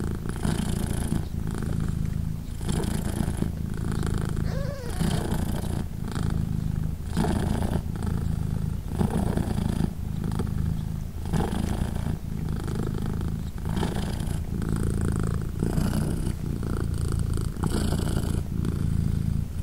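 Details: British Shorthair mother Polina purrs continuously while her three newborn kittens, three days old, nurse; a dense low rumble with regular breathy swells about every second and a half, and a faint short mew around five seconds.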